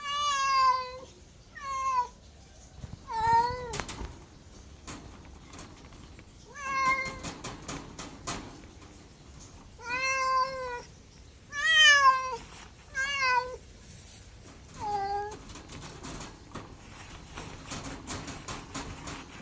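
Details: Domestic cat meowing repeatedly and irregularly, short and longer cries with falling and wavering pitch, interspersed with sharp clicking and tapping noises and some rustling.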